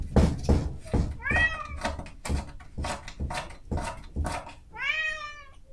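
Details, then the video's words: Hungry female cat at 7 in the morning wanting breakfast, recorded on a Zoom H5: steady rhythmic door scratching, roughly two strokes per second, broken by one short meow early on and a longer, insistent meow near the end. "Cat Scratching Door Sound Effect"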